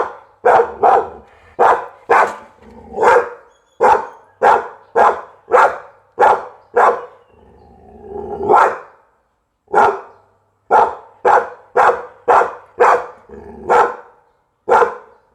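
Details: Pit Bull dog barking in loud, sharp, deep barks, often in quick pairs, repeated steadily about twice a second with a brief lull near the middle, no other sounds clear.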